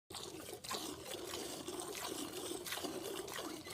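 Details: Milk streaming and trickling into a container during goat milking, a continuous hissy pour with faint background voices and no animal call.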